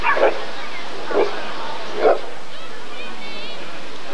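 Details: Rottweiler barking during the 1994 ADRK Körung breed survey: three short, punchy barks about one second apart, followed by faint wavering whistle-like tones.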